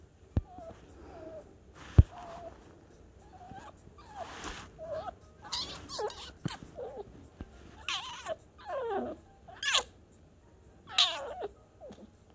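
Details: Pet male fennec fox indoors, vocalizing in frustration while a vacuum cleaner is run: irregular bursts of whining, falling tonal whimpers and harsh, raspy yelps over about twelve seconds, with short gaps between calls.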